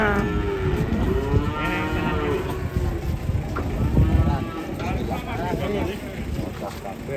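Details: Giant European-class cattle unloading from a truck: a long, low, harmonic moo in the first seconds, followed by further overlapping lowing from several animals against a dense background rumble.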